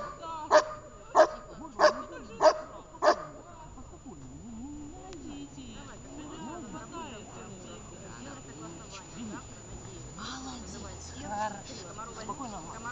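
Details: Shepherd dog being trained in Horlivka, 6 June 2021, barks five times in a crisp, evenly spaced series, about one bark every 0.6 seconds, followed by a woman talking calmly in Russian.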